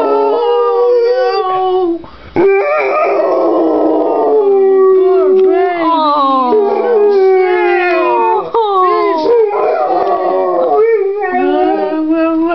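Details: Pit bull/boxer mix dog howling the blues: drawn-out, quavering howls that rise, fall and bend in pitch, nearly continuous apart from short pauses, strongly harmonic and loud.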